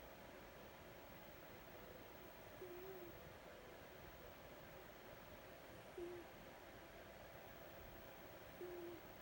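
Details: Vita, a tuxedo cat, snoozing and quietly snoring. Three faint, short whistled snores hold a steady low pitch and return about every three seconds over a constant soft indoor hiss.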